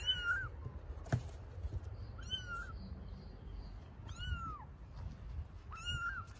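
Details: Baby kittens living on the street in Istanbul meow for their mother cat: five clear, high, arched meows, each rising then sliding down, roughly every one and a half seconds, with a sharp knock and low background hum.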